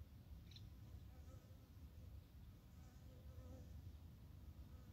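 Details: Japanese honey bees, recorded in the early morning of 12 April 2021 as plum blossoms peak: a quiet, low, steady droning hum with a faint, brief chirp early on.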